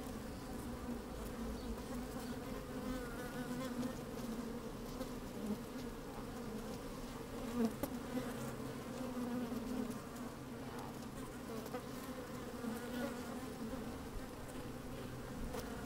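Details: Busy honey bees in an opened beehive on a sunny, slightly windy day, recorded from inside the hive: continuous layered humming drone, occasional sharper buzzes and soft knocks.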